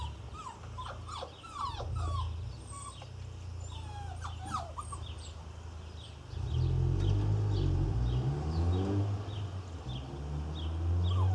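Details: Irish Terrier puppies, a litter of six nearly eight weeks old, at Easter: scattered high falling whimpers and squeaks for six seconds, then a loud low rumbling and thudding noise takes over with faint whines on top.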